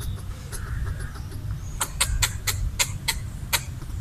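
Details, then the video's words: Red squirrel chattering while eating coconut bits left out for it, a territorial call to scare off a perceived threat; sharp broadband clicks in an uneven series, about eight over two seconds, over low background rumble. "Red squirrel chattering while eating coconut bits"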